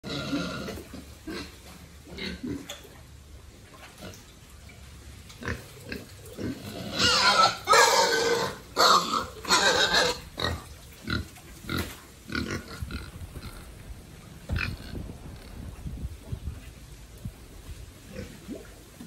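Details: Farm-raised pigs kept by a family for sale, fed and played with regularly, make rough noisy grunts and harsher squealing bursts, loudest in the middle, amid shuffling and background farm noise.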